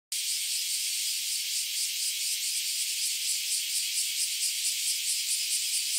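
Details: Bear cicadas chorusing near a home during a spell of hot days: a dense, loud, high-pitched buzzing wall of sound with a fast shimmering pulse. It holds steady throughout, with no other clear sounds.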